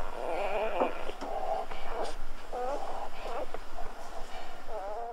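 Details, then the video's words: Newborn Golden Retriever puppies at birth squealing with thin, wavering, rising-and-falling cries, likened to guinea pigs or human babies, several overlapping over five seconds above a steady low hum. "Birth of Golden Retriever Puppies with Orignal Sounds"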